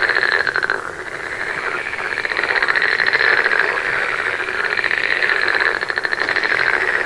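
Many frogs croak together in a continuous, buzzy chorus, with fast pulsed rattles rising and fading over a steady hum. Individual callers blur into one throbbing wall of sound.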